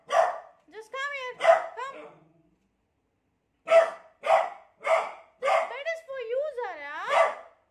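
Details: Beagle scared of a new cot, mixing wavering high whines with short sharp barks; a burst of whines and barks, a silent pause, then five quick barks ending in a rising, warbling howl-like whine.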